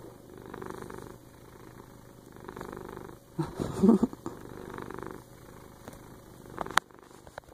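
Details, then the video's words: Pet cat snuggling up and purring; continuous low rumble rising and falling with each breath about every 1.5 seconds, briefly interrupted by a rustling shuffle midway and a small click near the end. "Cat Purrs Are AWESOME!"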